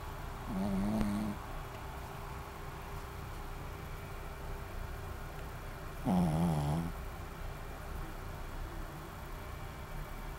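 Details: Shih Tzu named Maron, asleep and snoring: two drawn-out, harmonic-rich rasping breaths, the first short and the second louder, about five seconds apart, over a steady low indoor hum.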